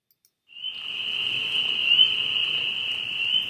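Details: A spring peeper chorus in early spring at a vernal pool, heard behind spotted salamander courtship footage: many high, piping peeps blending into one steady, shrill ringing tone.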